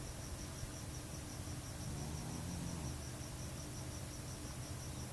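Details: Pet Staffy snoring, a single deep, humming exhaled snore about a second long in the middle, set against constant hiss and a faint, evenly pulsing high-pitched buzz.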